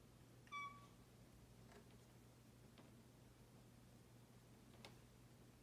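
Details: A pet cat gives one short, clear, high-pitched meow, said to hit a D-flat note precisely. The tone is held steadily for under half a second, followed by a quiet indoor room with a faint low hum and a few soft clicks.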